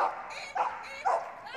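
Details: Maya, a 6-year-old female Border Collie running an agility jumping course at Crufts 2024, gives loud, high, screaming barks in quick bursts about every half second, apparently enjoying herself.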